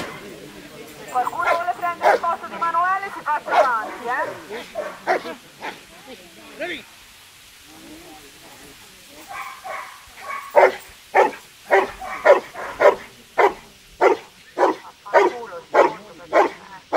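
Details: Rottweiler in sleeve attack bite work during a utility and defence trial at a national dog show; talking fills the first half, then a steady run of loud, forceful barks repeats about every second to the end.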